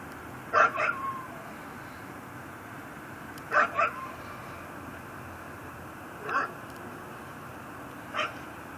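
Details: Neighbour's pit bull, tied on a front porch at night in Chalmette, Louisiana, December 2012, gives distant barks: two quick double barks, then two single barks several seconds apart, against a constant hiss.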